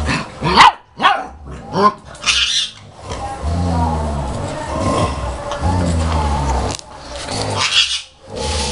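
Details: German Shepherd puppy play-fighting with its mother in 2012, giving a few sharp barks at the start, then long low growls with stacked harmonics and a brief yip near the end.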